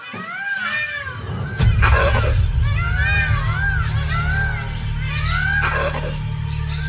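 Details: A sentry langur high in the jungle trees gives loud, raucous alarm calls in quick rising and falling bursts, warning of a second tiger approaching, over a steady low rumble with possible voices.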